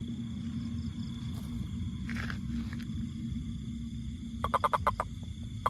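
A toad gives a quick burst of rapid, croaking pulses over a low, steady rumble.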